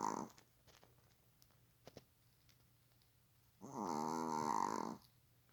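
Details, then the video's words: Dog asleep on a sofa, lying like a human, snoring; a brief snore tail at the start, a quiet gap with faint clicks, then one long grating, harmonic snore lasting over a second. "사람처럼 누워 코고는 강아지 모습(애완견 코골이)"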